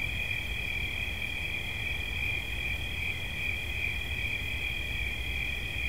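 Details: Cricket singing a dense, even, high-pitched trill with two parallel tones that pulse slightly, over a quiet low hum.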